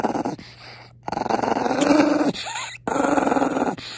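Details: Pongpong, a Maltese, growls in anger after being kissed: raspy, rumbling growl bursts of about a second each, broken by brief gaps, with a higher whiny edge near the end.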